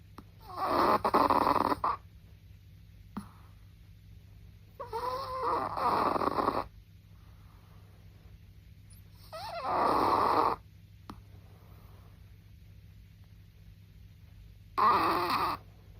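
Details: A Chihuahua snoring in a quiet room: four rasping, breathy bursts, each one to two seconds long, recurring roughly every four to five seconds, the second with a faint whining tone inside.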